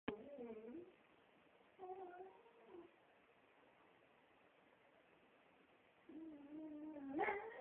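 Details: Vicky, a female pet Beagle, howls in three separate bursts: short tonal wails with a wavering pitch and rich overtones, parted by quiet room pauses, the final burst longer and sliding upward at its end.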